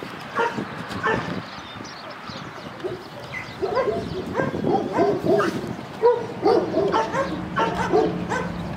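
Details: Cane Corso dog giving short, sharp barks in irregular bursts, quiet at first and then coming faster and louder in the second half, with a low steady hum in the background.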